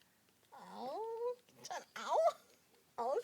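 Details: Litter of newborn puppies, born January 13, squirming at home indoors: drawn-out whines that slide upward in pitch, three or four rising cries in a row with brief pauses between, in a quiet room.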